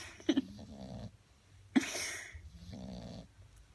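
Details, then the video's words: Sleeping bulldog snores in sharp snorting inhalations followed by wheezy, nasal rattling breaths, roughly two cycles over a few seconds. "Bulldog roncando"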